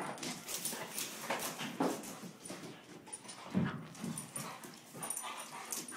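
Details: Female Rhodesian Ridgeback in her first days at a foster home, giving a few short, soft whimpers amid indoor rustling and handling noise.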